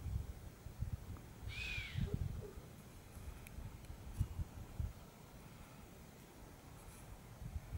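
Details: Chamois giving a single sharp whistle, short arched tone that rises then falls, heard once after a second and a half over low rumbling wind and faint outdoor background.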